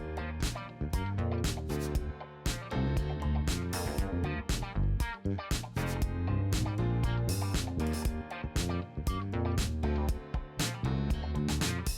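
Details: Upbeat guitar music with bass and a driving rhythm fills the recording, and no animal can be heard.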